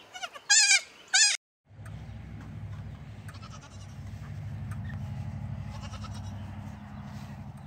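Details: Goat with a baby goat: two quick, shaky high bleats in close succession, then a steady low rumbling drone fills the rest.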